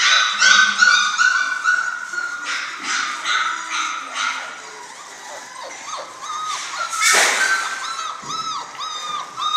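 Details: Six-week-old German Shorthaired Pointer litter, several puppies calling together: high, arching whimpers and squeals overlap in a steady chorus, with a brief sharp noise burst midway.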